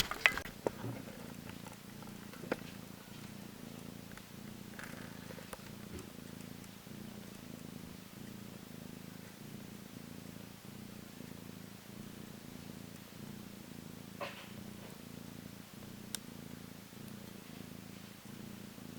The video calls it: Baby Kittens meowing and falling asleep yawning afterwards